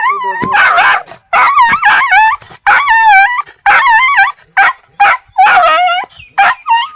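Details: Aggressive, angry dogs barking, dense volleys of yelping barks with wavering tonal whines sliding up and down, repeated steadily through the recording.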